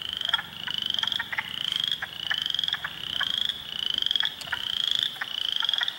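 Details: Spring chorus of frogs in a swamp at Heartland Forest, Ontario, on April 2, with spring peepers, wood frogs and eastern chorus frogs: dense high peeps near 3 to 4k layered over pulsing clucks and trills, swelling in rhythmic waves.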